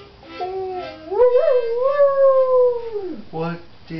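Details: A female dog singing by morning light, a long howl rising, wavering, then held and sliding down over about two seconds, with shorter tonal notes before and after.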